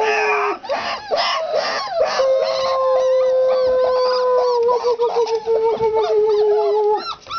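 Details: Four-week-old country puppies playing: rapid high squeaky yelps open the recording, then a long steady whining howl holds for several seconds before wavering and breaking off, with further squeaks overlapping near the end.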